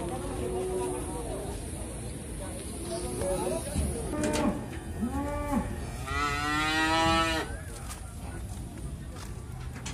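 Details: Very large Pegon cattle weighed at about 1100 kg: a few short harmonic moos around the middle, then a longer, louder, drawn-out moo. Men talk nearby over a steady background hiss.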